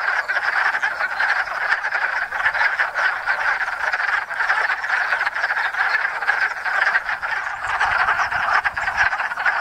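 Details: Wood frogs (Lithobates sylvaticus), hundreds descending on a small woodland pond in Enosburgh in spring to breed; rapid overlapping croaks form a constant, chuckling chorus at even loudness.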